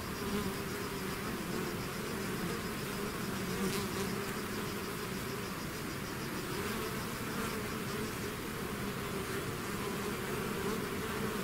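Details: Honeybee swarm leaving its hive, a dense continuous hum layered with many overlapping low buzzing tones, steady throughout with faint higher whines drifting above.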